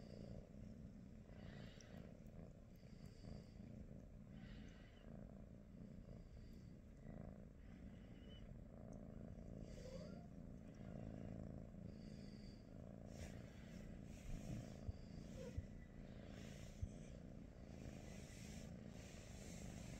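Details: Steady low purring from a British Shorthair cat during a relaxed morning with Pikachu, Teddy and niece Rosie; the continuous rumble holds for twenty seconds, broken only by faint rustling and small clicks.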